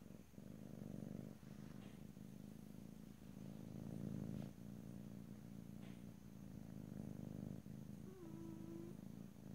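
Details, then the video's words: Pet cat purring close up in a stereo recording, a continuous low buzzing rumble rising and falling with breathing, with a few soft clicks and a short higher tonal squeak near the end. "ASMR Cat: Purring"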